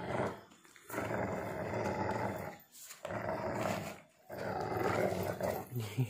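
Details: Pitbull mix and husky growling as they play tug of war with a shoe indoors: three long, rough, rumbling growl bursts separated by short pauses.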